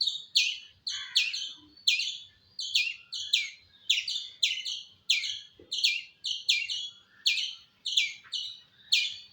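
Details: Steady run of squirrel calls: bright, piercing chirps with a clipped, descending double note, delivered roughly twice a second without pause, little else audible.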